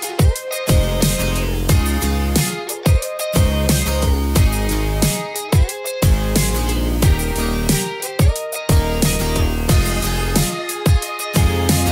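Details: Loud electronic music with heavy bass drops and a bowed, violin-like melody, with no animal voice anywhere.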